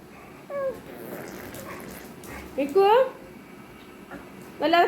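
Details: American Bully puppy named Mikku, a pet in Kerala, indoors: three short, high, wavering whines that rise and then fall, each well under a second, spaced apart while someone talks softly to the dog in Malayalam.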